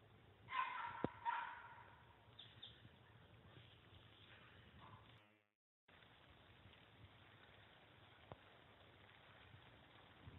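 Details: A small female Puggle dog confronts a deer that does not back down. Two quick, loud barks sound in the first seconds, followed by a brief dropout and low, continuous outdoor rustle.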